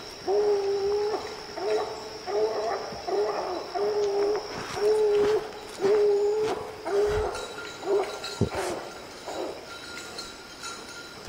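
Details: Young hunting dog Lillie baying at quarry she has treed on an evening hunt: steady run of drawn-out, hollow, hooting barks, about one per second, each with a flat tone and harmonics, over faint background hiss.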